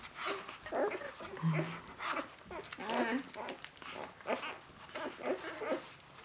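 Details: A 4-day-old Great Dane puppy gives short, squeaky whimpers and grunts, with people talking nearby.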